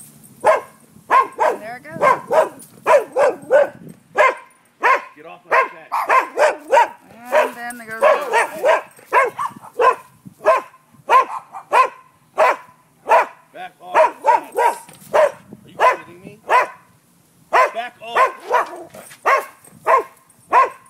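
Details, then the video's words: Nuisance barking from dogs at a neighbouring property around midday: a long, almost continuous run of sharp barks, several per second at times, with brief spells of a person talking mixed in. "Barking dogs"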